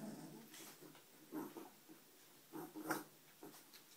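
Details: Puppies give short, soft whimpering and grunting calls in a few uneven bursts, the loudest pair close together near the end, with quiet rustling and shuffling between them.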